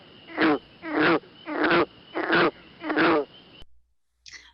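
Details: A green frog, a non-native species in the Fraser Valley heard in wetlands in summer, gives a run of twangy, plucked notes like a badly played broken banjo, about one every half second.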